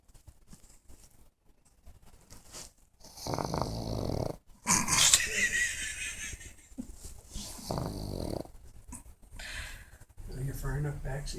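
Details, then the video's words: Sleeping pug snoring: rough, rasping breaths come in broad noisy bursts roughly every two to three seconds, one harsher wheezing snort in the middle, with quiet gaps between breaths. "Pug Snore"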